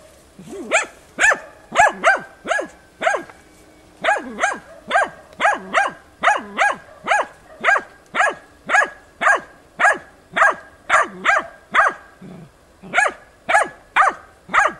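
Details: Dog being trained on wild boar, persistently barking at bay at young boars, recorded 6 March 2013; a steady, insistent run of about thirty ringing, arched barks at roughly two per second, with one brief pause midway.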